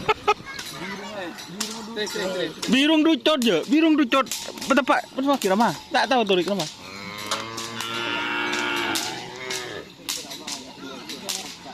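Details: Bulls during karapan sapi bull race training at the Asemanis field, Pamekasan. Wavering, rising-and-falling vocal sounds give way to a long, steady, low moo in the second half, with crowd noise and music around.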